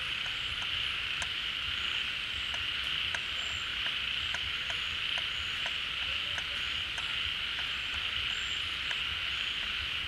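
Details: Many frogs calling together at a pond once the rains bring water back, leaving their hideouts; the sound is a seamless high-pitched din dotted with regular sharp ticks and occasional short whistled notes.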